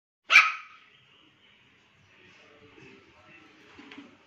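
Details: A Pomeranian, described as a husky-Pomeranian, barks for the first time at the washing lady arriving, giving one sharp, high-pitched yap, followed by quiet room sounds.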